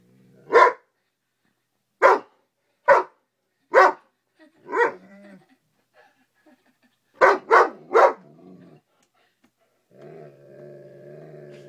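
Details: Guarding against a bug, an 11-month-old Great Dane mix gives a series of booming barks indoors: five spaced single woofs, then a rapid triple. A low, steady whine-like hum follows at the end.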